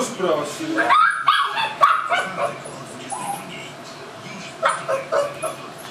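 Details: Tibetan Mastiff puppy Noodles, seven weeks old at the Himaldog kennel, begging for food: quick squeaky yelps and whimpers in a cluster, a pause, then a few more, with voices talking over them.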